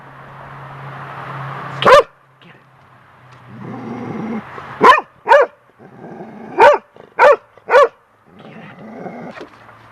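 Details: Lacy, a young golden retriever, barks at a bird's feather blowing across the deck: a lone bark, then a run of five sharp barks, between stretches of wind and a person's voice.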